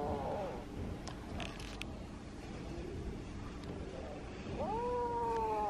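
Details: Kitten wanting to tell something: a short falling meow opens, then after a quiet stretch a clear, sustained rising-then-level meow closes, over soft background noise.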